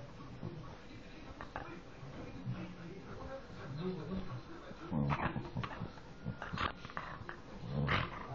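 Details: Dog whose voice sounds like a pig, giving low, rough grunting snorts in short bursts through the middle of the recording, with German speech from people nearby and some indoor handling noise.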